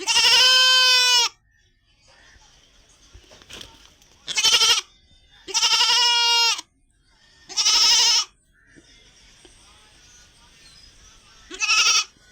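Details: A white female goat tied in a village hut gives loud, wavering bleats, each lasting about a second, separated by short quiet gaps.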